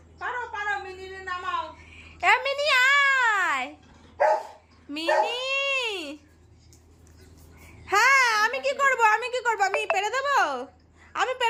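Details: Golden retriever puppy indoors in a small room, wanting its cat toy, gives long, drawn-out whines that rise and fall in arches, three bouts separated by short pauses, with a shorter yelp between the first two.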